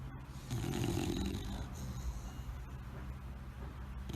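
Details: Bulldog asleep after tiring out, giving one loud, gravelly snore lasting about a second, followed by softer wheezy breathing against a hissy background.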